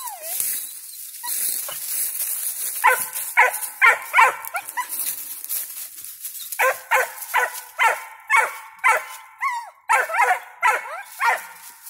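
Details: A five-month-old squirrel dog that has treed a squirrel barks in a steady run of loud chopped barks, roughly two each second, some ending in a drawn-out bawl; high hiss and rustling in the background.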